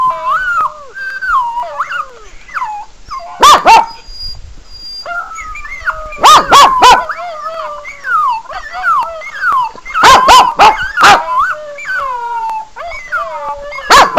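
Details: Pekingese named Sebastian gets worked up as animal whining videos play from a laptop: wavering, high whines that rise and fall continuously, broken by sharp bursts of barking near seconds three, six, and ten through eleven.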